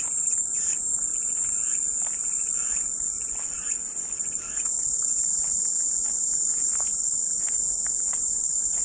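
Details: Dense, even, high-pitched cicada buzzing throughout, swelling a little in the middle, accompanied by faint scattered chirps lower down.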